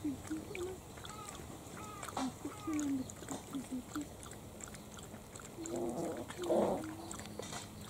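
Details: Playing Italian Greyhound puppies, six weeks old, in their first litter; a string of brief squeaky yips and whimpers comes in quick uneven bursts, ending in a louder rough squeal.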